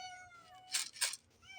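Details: Pet cat meowing in response to cat food being shaken in a bottle: a drawn-out falling meow, then two loud rattling shakes, then the start of another meow.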